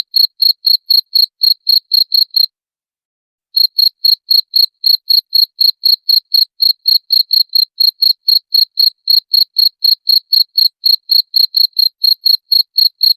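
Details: Cricket sound meant to chase off rats, with sharp high chirps pulsing about four times a second, broken by one silent gap of about a second before carrying on evenly.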